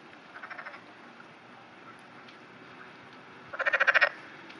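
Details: Early morning on 11 June 2009, in rain, a black-spotted pond frog (Pelophylax nigromaculata) floats on water and gives short bursts of rapid, pulsed croaks, a faint run then a louder one.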